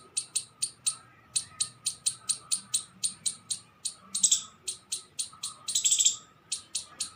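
A squirrel gives sharp, high chips, repeated steadily about three or four times a second.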